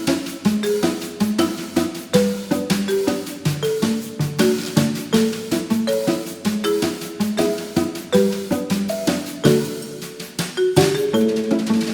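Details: Upbeat percussive music with marimba-like melodic notes and steady wood-block beats, with no animal sounds.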